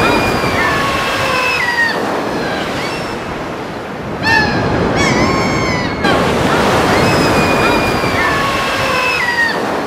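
Seals call in long, tonal wails with a rich, layered quality, some holding steady and others dipping in pitch. Constant surf and breaking waves roar beneath the calls throughout.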